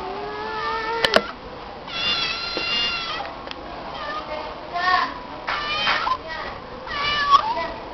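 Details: A stray female cat that meows whenever called by name, here giving a series of repeated drawn-out harmonic meows, roughly five in eight seconds, with a sharp click early on and a little human speech.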